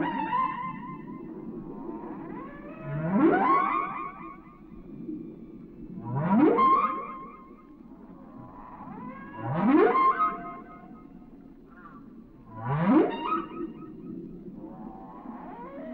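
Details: Whale song: loud upsweeping cries repeat about every three seconds, each a rising swoop from a low groan into a higher wail, over a steady low underwater hum.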